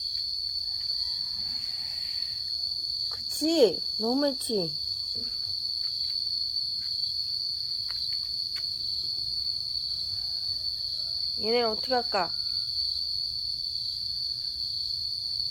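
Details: Yard cat Momo in Laos, early rainy season, yowling while fighting to hold territory: two wailing, pitch-bending cries close together, then one more later, with constant shrill insect buzzing behind.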